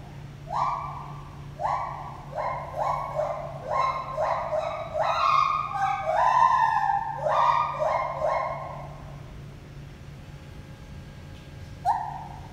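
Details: Pair of gibbons named Lenny and Holly whooping at the Toronto Zoo, a dense run of rising hooted notes, several per second, overlapping and intensifying mid-sequence, then a quiet gap before one last whoop; constant low hum behind.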